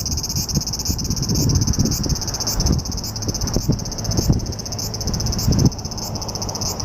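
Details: Japanese cicada in July, summer: a shrill, pulsing buzz with rhythmic surges roughly every 0.6 seconds for most of the recording, accompanied by heavy low rumbling and bumps.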